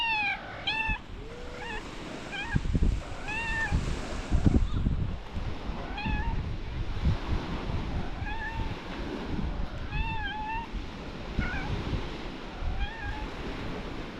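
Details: Belyanochka, a stray cat, meows persistently, with short arched meows repeated roughly every one to two seconds and one lower, softer meow early on. A constant low rumble of wind or traffic sits beneath.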